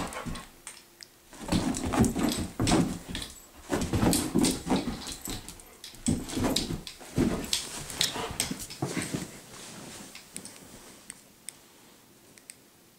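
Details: Indoor dog chasing a laser pointer as it is spun around a room; a long run of harsh, irregular bursts about three per second, loudest in the first half, then thinning into scattered sharp clicks and taps.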